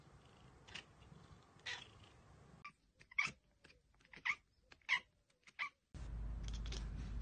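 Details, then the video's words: Domestic cat spotting a bird or insect it cannot get to, giving short, separated bursts of clicking chatter with small chirpy notes, broken by abrupt cuts; a steady noisy hiss fills the final second. "Cats Ekekekeke Compilation - Cats chattering at birds!"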